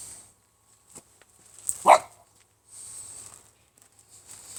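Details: A single brief puppy bark from a young Shiba Inu on December 5, loud and abrupt, surrounded by quiet rustles and soft background hiss.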